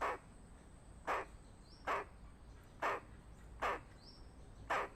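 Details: Squirrel; alarm call; warning of danger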